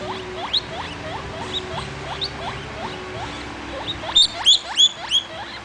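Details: A baby guinea pig named Vitalis wheeking away: a run of short, high, rising squeals repeated rapidly throughout, becoming louder and sharper in a burst of four or five near the end, over faint low background hum.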